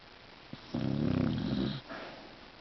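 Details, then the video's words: A Beagle snoring: a single drawn-out, raspy rumbling breath of about one second, low and buzzy, followed by a softer exhale, recorded close up indoors. "Snoring Beagle"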